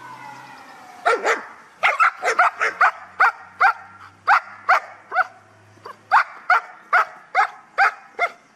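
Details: Guard dog from a kennel in Ha Tinh, Vietnam, during an item-guarding training exercise: a rapid run of sharp, loud barks, about twenty in eight seconds, opening with a high whining tone, over a quiet background.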